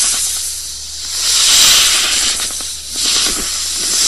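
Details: Continuous snake hissing, a coarse airy sound that surges loudest mid-clip, then dips and rises again, over a faint steady hum.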